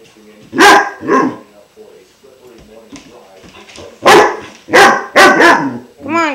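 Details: Five-month-old German Shepherd puppy Klaus wary of his new water buffalo horn: loud barks in two bursts, a pair early and a cluster of three later, ending on a high whine, while a woman softly urges him on.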